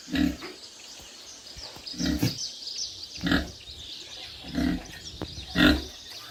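A pig gives short, low, throaty grunts, repeated every second or so.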